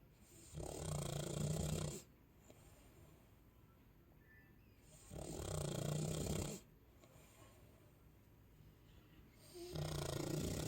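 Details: Chow Chow named Sasha asleep and snoring: three long, rough, low rasping snores of about one and a half seconds each, separated by roughly four-second quiet pauses of soft breathing.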